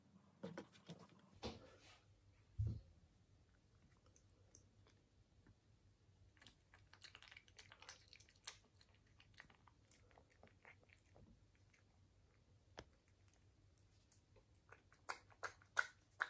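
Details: British Shorthair cat eating indoors in a small room, soft scattered crunches and clicks of chewing, sparse at first and then more frequent toward the end, with a quiet low hum underneath.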